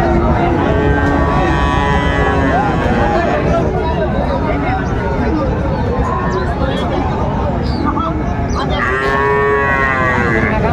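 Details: Cattle at a busy livestock market on 19 December 2024, where a Chattogram farmer buys a Sahiwal bull calf. Several low, drawn-out moos with rich harmonics, the loudest near the end, over constant crowd chatter and traffic noise.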